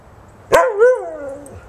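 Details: A single drawn-out bark from Buddy, a husky mix, playing in the snow with a young American Eskimo puppy at Christmas 2010, with a sharp onset, a wavering pitch and a long falling tail, over a quiet background.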